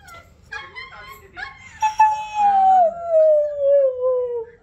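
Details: Oreo the pet Siberian Husky, coaxed to voice Radhe Radhe, opens with a few choppy yips and whines over human chatter. A long howl follows that slowly glides downward in pitch over nearly three seconds.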